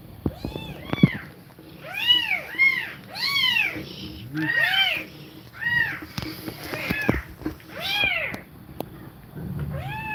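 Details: Nursing mother cat with kittens, breathing fast; a run of about nine clear, rising-then-falling meows, each roughly half a second long, spaced one to two seconds apart, with light handling noise between.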